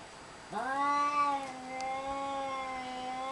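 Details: Cat giving one long, drawn-out meow that rises sharply at the start and then holds a steady, rich harmonic tone for nearly three seconds before fading slightly; quiet background otherwise.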